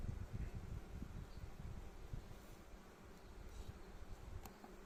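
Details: Western honey bees buzzing as the first box of a frameless Warré hive is opened during its first inspection of 2024; the colony, settled over a month earlier, is working intensively. Low, dense, steady hum with scattered thumps.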